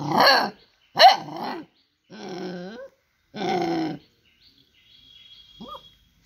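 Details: Dog voicing a run of harmonic barks and growl-like moans, four drawn-out calls over four seconds, some with bending pitch, followed by quiet and one faint short yip at the end.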